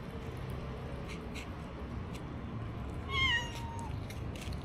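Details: Stray kittens with little food, recorded on a DJI Osmo Action; a single short meow near the end that slides gently downward in pitch, over a steady low background rumble and scattered clicks.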